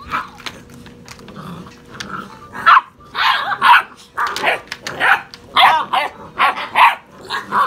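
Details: Six-and-a-half-week-old puppies wrestling produce a dense jumble of yips, squeals and small growly barks, overlapping almost continuously in the second half.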